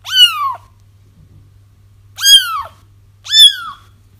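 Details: Crying kittens used for trapping a feral mother whose litter was found: three loud, rising-then-falling mews, each about half a second, over a faint low hum.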